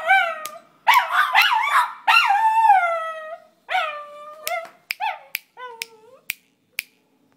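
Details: Singing schnauzer: several loud rising-then-falling howls at the start, then shorter fading yips and sharp clicks spaced about half a second apart.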